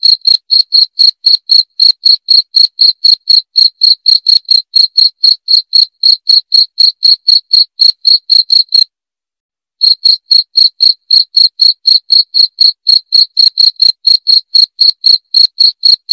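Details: A cricket chirps loudly in an unbroken string of crisp, high, ringing pulses at about four per second, stopping for roughly a second midway, then carrying on at the same pace.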